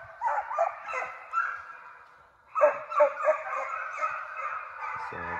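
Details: Hound pups being conditioned in a fox pen after coyotes, baying in overlapping chorus with bursts at the start and again after a short lull, several dogs calling at once.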